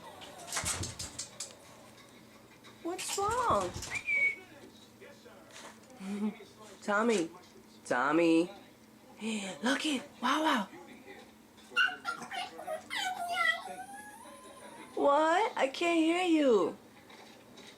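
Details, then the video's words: Tommy, a pet chihuahua indoors, cries with cat-like meows when spoiled and hoping to get his way. Drawn-out, arching, whiny meows come in a string of short bursts, with a person talking soothingly to him between them. "Cutest chihuahua meows like a cat"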